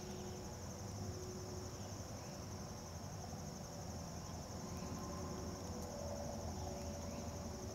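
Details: A dog-day cicada (Tibicen canicularis), recorded close up at Turtle River State Park, North Dakota, on 16 August 2011, drones with a continuous, even, high-pitched electric buzz over a low rumbling hum like distant traffic.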